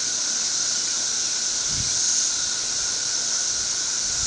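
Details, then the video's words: Thirteen-year periodical cicadas crowded all over a tree keep up a continuous high, buzzing wall of sound with a steady mid-pitched drone beneath, unchanging throughout, with one soft low bump. "Very Loud Cicadas"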